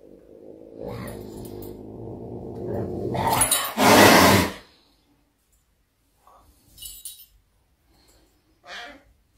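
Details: Caracal Myxa tussling with Adolf indoors, a rough, rumbling growl building over about three seconds, then a loud harsh hiss-like burst near four seconds, followed by short scattered scuffles and quiet.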